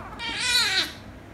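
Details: Kitten, a rescue kitten made angry by a ginger kitten that later kisses and licks it, gives one drawn-out meow of about 0.7 seconds, rich in harmonics, rising then falling in pitch; quiet room otherwise.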